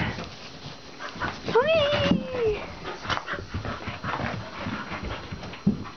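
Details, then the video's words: Pet dog at play giving a single long whine that rises then slowly falls over about a second, followed by scuffling and panting, with a person speaking in the background. "My dogs playing"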